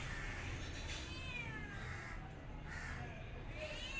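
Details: Cat meowing in a run of drawn-out, wavering meows, some rising then falling, over a steady low rumble of background noise.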